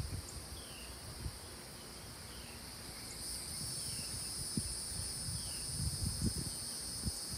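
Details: Chorus of South Carolina cicadas: a continuous shrill buzzing drone held at two high pitches, with faint sliding chirps beneath and scattered low thumps and rumble in the background.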